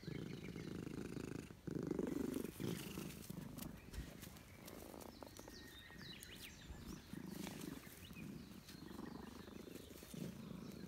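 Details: Stray Russian Blue cat in a park, purring while being petted, happy at a reunion. A soft, low rumbling comes in rhythmic pulses, roughly three per second, over outdoor rustling and occasional clicks.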